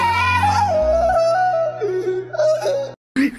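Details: Music only: a melodic, yodel-like singing voice over instrumental accompaniment, with no animal sound heard.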